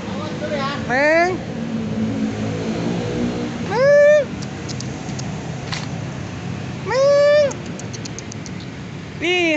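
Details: Mud-covered cat, helpless at a roadside after apparently being hit by a vehicle, gives four drawn-out meows roughly every three seconds while passing traffic and soft human voices fill the background.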